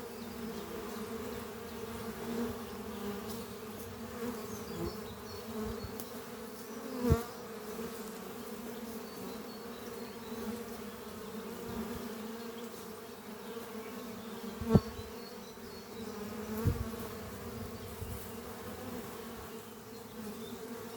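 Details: Honey bees flying in and out of an oak-chest horizontal hive on a spring morning, foragers returning with pollen; a dense steady buzz with a few sharp clicks or knocks at intervals.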